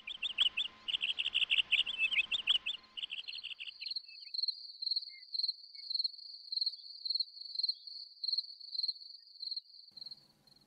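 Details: Male cricket singing by rubbing his wings together to find a mate, with a female nearby that seems interested; high, pure chirps in short pulsed bursts about twice a second, after a few opening seconds of louder, warbling, bird-like twittering.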